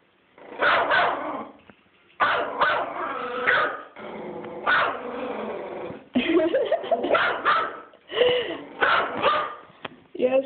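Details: Teacup Yorkshire Terrier worked up while chasing turtles, giving rapid strings of high yapping barks blended with rough growls, coming in dense bursts of one to two seconds, while a person eggs it on.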